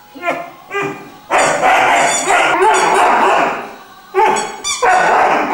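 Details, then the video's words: Three-month-old Irish Wolfhound puppy described as very musical, singing in drawn-out, wavering howls with rich harmonics, broken by short pauses and a quieter opening of brief yelps. "Irish wolfhound is singing"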